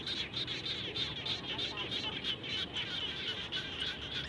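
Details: Frogs calling around a home after rain: rapid, sharp, clicking notes repeated several times a second at a high, steady pitch, several callers overlapping above a constant low rumbling background hiss.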